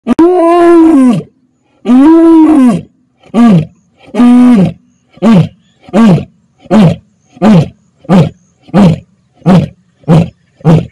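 A male lion roars to his lioness, two long moaning roars trailing into a run of short grunts.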